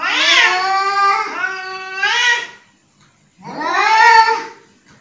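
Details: {'caption': 'Angry house cat: one long, wavering, whining yowl of over two seconds, a brief silence, then a second rising and falling yowl.'}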